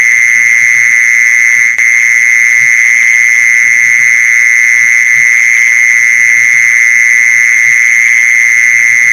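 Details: Continuous mole cricket trill used as a lure for catching mole crickets. An even, high, droning buzz that never breaks, with one brief click near two seconds and soft low knocking beneath.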